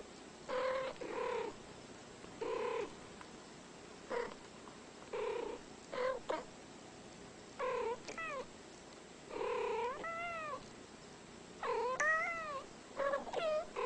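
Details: Pair of ten-year-old female house cats, not related, calmly "talking" instead of fighting: alternating short meows and chirrups, some warbling up and down in pitch, clustered in quick back-and-forth bursts, with quiet room noise between calls.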